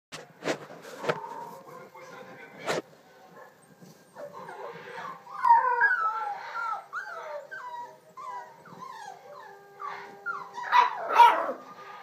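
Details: Scottish Terrier puppies give thin, wavering whimpers and short howling notes that bend up and down, crowded together in the second half after a few sharp knocks at the start.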